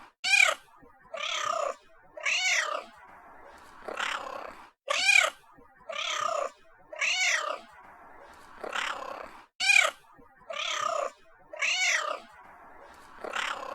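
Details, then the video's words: Pet cat meowing repeatedly, about thirteen calls in a steady sequence. Short, bright, arching meows with rich overtones alternate with softer, breathy ones, and the pattern recurs roughly every five seconds. No background noise. "sound of cat meowing"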